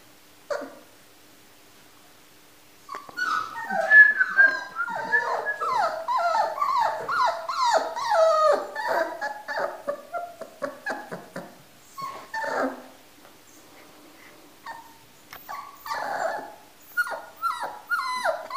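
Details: Male black-and-white Siberian Husky puppy, born 14 November 2017 at a Moscow kennel and recorded in December 2017, gives a rapid run of short, high, falling whimpers and yelps, about two each second, easing briefly before resuming.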